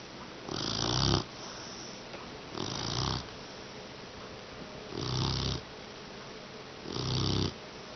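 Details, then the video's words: English Mastiff puppy called Beauty, asleep after learning to sit off leash, snores four times at about two-second intervals, each a soft breathy rasp with a low rumble. "Funny Snoring Mastiff Puppy"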